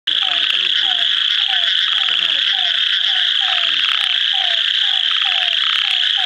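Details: Ornate narrow-mouthed frog calling near Kadur, India: a dense, steady high-pitched rasping drone, with a short low downslurred note repeating about twice a second and some deeper notes early on.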